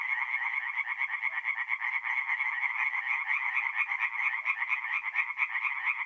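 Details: Forest pond at night in mid-April, north-east Italy, with tree frogs singing together: a steady, unbroken stream of quick, raspy pulsed croaks from many callers at once.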